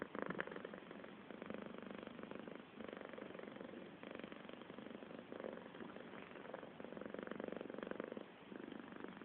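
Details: House cat purring close up: a continuous, buzzy, rumbling drone that swells and eases with each breath, with brief dips near the three- and five-second marks.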